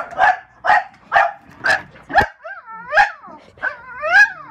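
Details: Two French Bulldogs defend their home against window washers, barking in quick, hoarse bursts that break into whining, yodel-like howls.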